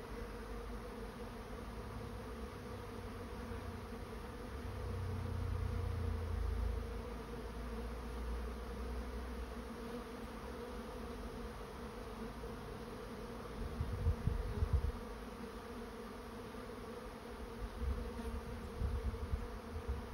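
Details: Honey bees swarming into a trap hum steadily for the whole stretch. A deeper rumble swells around the fifth to seventh seconds, and scattered low knocks follow later.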